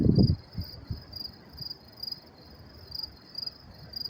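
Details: Night crickets in New York City on May 28, 2024, chirping in high pulsed bursts about every half second, after a brief burst of speech at the start, over a quiet low hum.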